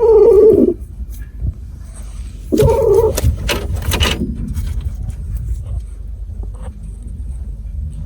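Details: Cat giving two short harmonic yowls, one at the start and another about two and a half seconds later, followed by low background rumble and scattered clicks.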